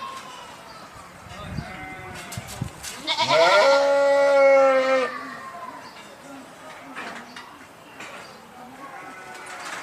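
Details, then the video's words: A single clear sheep bleat of about two seconds, steady and nasal, set in a low murmur of background noise with a few faint distant calls. "صوت الخروف | the sound of the sheep"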